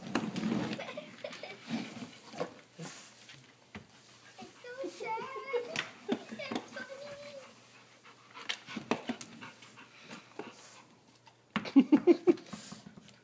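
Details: Elderly Rottweiler getting frustrated at a laser dot indoors: choppy, fast breathy panting amid people talking in Spanish, ending with a tight cluster of quick, loud huffs.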